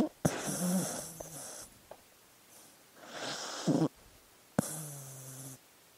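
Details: Sleeping dog snoring and snuffling: short buzzy snore with a low hum, a sharp snort-like catch, then softer wheezy breaths and a final humming snore.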